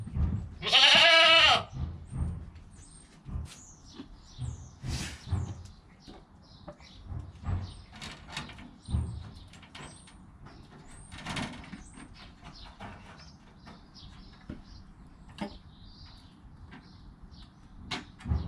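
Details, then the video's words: Joel, a newborn goat kid less than an hour old, beside his mother Penny and captured on a GoPro; a single high bleat of about a second near the start, followed by scattered rustling and soft knocks. "Baby Goat - One Hour Sound and Video"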